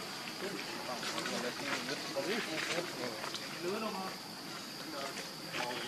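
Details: Baby monkey Lucie begging her mother for milk and being refused: wavering, whiny cries in short bursts over about six seconds, set against a steady high insect-like hiss outdoors.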